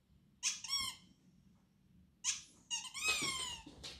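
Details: Pet dog, a female, worked up by a squeaky toy sound inside a small room: a high, slightly falling whine, a pause, then a rising, wavering cry that runs into a longer strained whine.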